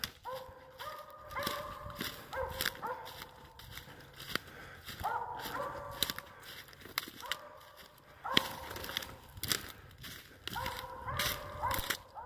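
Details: Hunting dog that has treed a squirrel, barking steadily from below: bright, clipped barks in quick pairs and runs, about one burst every second or two, over crunching footsteps and leaf rustle outdoors.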